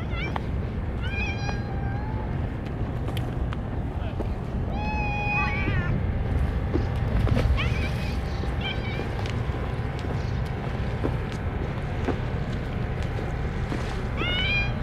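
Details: Stray cats crowding around a feeder offering only churu treats give repeated short meows, some rising, some falling, scattered across the stretch, against a constant low rumble with occasional clicks.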